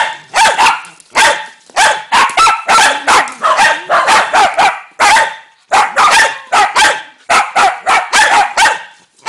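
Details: Dog barking continuously in loud, harsh volleys, barks running almost back to back with only brief gaps between groups.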